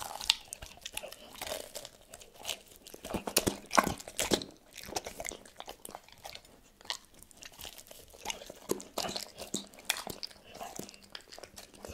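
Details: Close, crunchy chewing and biting sounds in a small room, with no animal calls.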